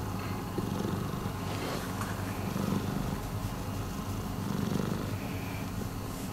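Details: Rescued domestic cat purring: a steady, low, rumbling throb that continues without a break through the whole stretch, with faint rhythmic pulsing and no other clear sounds.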